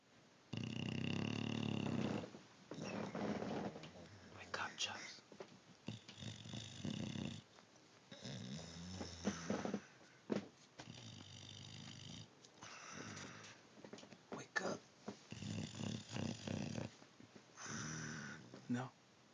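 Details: An English Bulldog, hard to wake, snores in deep, rattling rumbles while a person talks nearby, offering ham.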